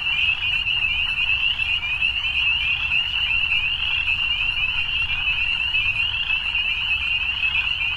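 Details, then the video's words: Continuous evening frog chorus: many callers merge into one even, rapid, high trill that never breaks, with faint low background noise. "Evening Frogs"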